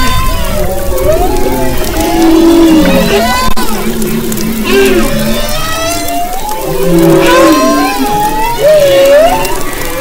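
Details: Humpback whales recorded off the west coast of Maui in February 2011, singing: overlapping moaning tonal units that sweep up and down, some looping upward whoops, with several voices layered through a dense chorus.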